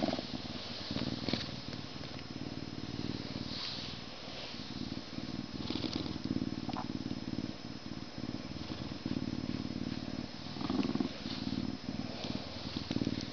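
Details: Purring Canada lynx, a throaty low vibration that runs almost unbroken through the clip, rising in loudness toward the end, with faint rustles and a couple of soft clicks.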